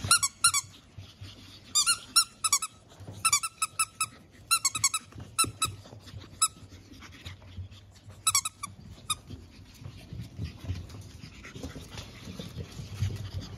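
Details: Pug puppy littermates born on April 17, five siblings soon going to new homes, lively indoors: bursts of high, harmonic squeaky yelps come in quick clusters of two to five notes over the first nine seconds, then fade to soft rustling and snuffles.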